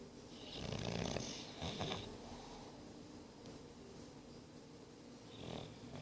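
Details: Snoring English Bulldog, Boris, aged nine months: a grating, snorting inhalation followed by a brief second rasp, then quiet breathing and a faint wheezy snort at the end.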